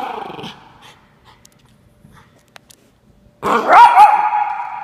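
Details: Norfolk Terrier puppy standing his ground: a brief harmonic grumble first, a pause with faint clicks, then a loud sustained rasping growl-yap with a wavering pitch that holds to the end.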